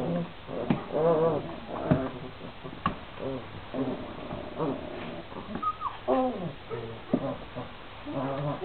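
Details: Šarplaninac puppies, 26 days old, a litter of three males and five females, whining and yelping indoors: overlapping harmonic squeals and short rising-falling whimpers from several pups, one call after another with hardly a pause, plus some soft background thumps.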